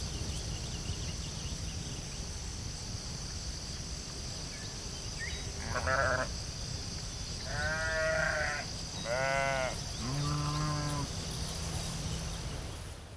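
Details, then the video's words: Sheep in a field bleating: about four harmonic, wavering bleats between six and eleven seconds, each lasting roughly a second, over steady low rumbling background noise and a faint high hiss. "Cute sheep"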